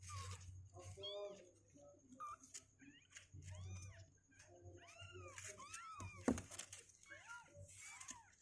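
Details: High, arching mews from two-week-old kittens who refuse to sit in their box, coming in rapid runs, many calls overlapping near the end, with soft indoor hum and faint rustling.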